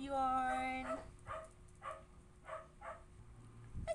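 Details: Siberian Husky arguing at home in the morning: a steady, strong, tonal whine held for nearly a second, then a run of short, soft, mumbling vocal bursts repeated about every half second, with quiet background hum.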